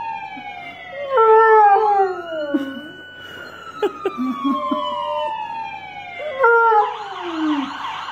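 A German Shepherd howls in long, wavering tones that slide slowly downward, with a siren wailing alongside.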